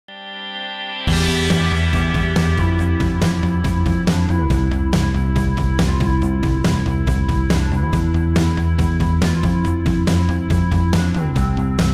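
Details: Loud rock music with a steady driving beat, distorted guitar and drums starting after a second of silence; no animal sounds.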